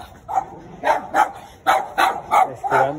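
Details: Neighbour's Chihuahuas out in the street barking at passers-by: a run of short, sharp, high yapping barks, about seven in three seconds, coming in quick pairs.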